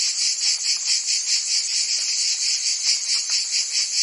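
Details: In a French summer in Provence, cicadas keep up a bright, high, unbroken buzz that throbs in fast regular pulses, a chorus of many insects without pause.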